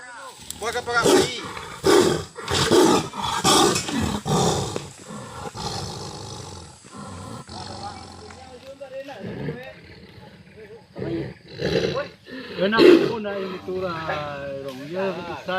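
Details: Sumatran tiger caught in a conservation agency trap at Nagari Salareh Aia, Palembayan district, giving loud, harsh roaring bursts about once a second, falling quiet midway and then roaring again, with people talking nearby.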